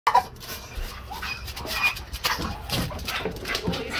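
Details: A male blue Staffordshire bull terrier on his way to stud gives excited, high whining vocalisations in short, irregular bursts.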